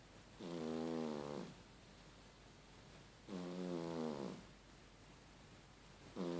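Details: A sleeping domestic cat snoring like a person, with two long, rasping, harmonic-rich breaths about three seconds apart and a third beginning at the end, quiet pauses in between.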